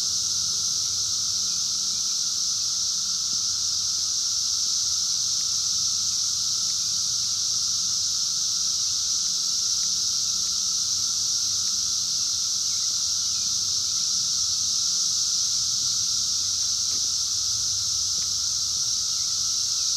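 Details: A wild 2021 Brood X emergence of 17-year periodical cicadas, phone-recorded: a relentless hissing high drone holding steady throughout, over a faint lower hum and soft ticking.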